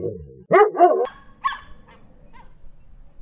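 A dingo gives two loud, wavering yelps in quick succession, then three fainter, shorter cries spaced about half a second apart, over a faint low hum.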